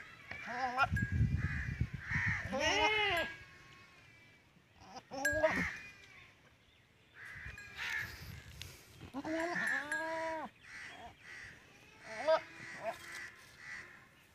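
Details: A Teddy goat and a female goat mating in a Punjab village, Pakistan. Repeated quavering, nasal bleats come in bursts a few seconds apart, over scattered bird calls and a low background rumble.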